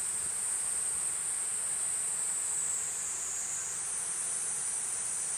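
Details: Platypleura kuroiwae cicada giving a dense, shrill continuous buzz that rises slightly in pitch near the end, over a hissy noisy background.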